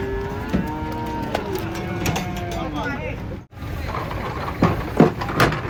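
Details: Large, aggressive cattle being unloaded from a truck. A long, low, drawn-out moo with steady harmonics lasts about three seconds. A brief dropout follows, then clattering knocks and a man talking.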